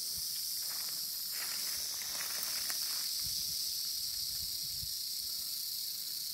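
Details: Wild eastern diamondback rattlesnake standing its ground, a continuous high dry rattling hiss sustained evenly throughout, with faint rustling and low thumps underneath.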